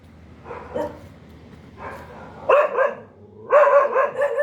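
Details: Two softer dog barks, then louder, sharper barks, the last a rapid doubled burst, roughly one each second.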